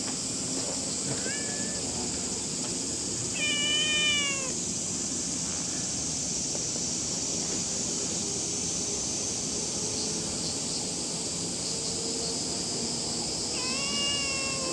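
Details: Two stray cats, calico and ginger, on a hot summer morning in Japan give three clear meows: a short one, then a longer falling, whiny call, and a late rising-falling meow, over a steady high-pitched buzzing drone with faint human speech.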